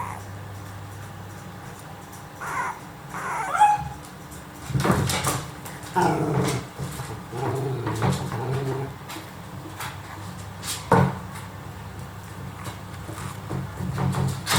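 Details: Dachshund puppies, brother and sister, 22 days old, with eyes newly open; soft high whimpers and squeaks come in short bursts around the third to fourth and fifth to ninth seconds, with a sharper yip near the eleventh, over low household hum.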